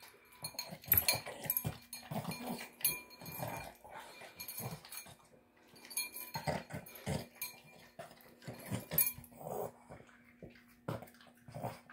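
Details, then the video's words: Indoors, a pet Boston Terrier snorts and snuffles over a tuna, egg and kibble meal; soft, rough grunting bursts and wet chewing come in uneven clusters, quieter overall with scattered clicks. "Boston Terrier Snorting Sounds Like a Pig Snorting Down Dinner"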